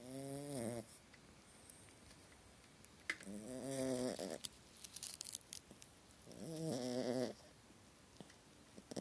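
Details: Small dog in the grip of a nightmare while sleeping, snoring in three throaty, wavering, nasal bouts about three seconds apart, with soft clicks and faint breathing sounds between them.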